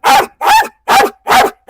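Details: Pit bull terrier on a leash during a dog challenge, barking loudly: four harsh, strong barks spaced roughly 0.4 seconds apart, each a broad burst with a clear tonal core, with near-silent gaps between them.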